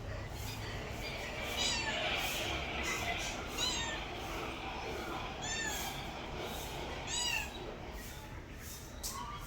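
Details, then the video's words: Domestic cat giving several short meows spaced irregularly over nearly ten seconds, with faint speech and household noise underneath. "my cat original sound and reaction"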